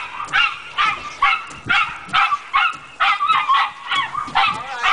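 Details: Chester, a pet dog, barking at moving windshield wipers: sharp, yappy barks repeated roughly twice a second in quick bursts, with whiny tails on some, over a steady background hum.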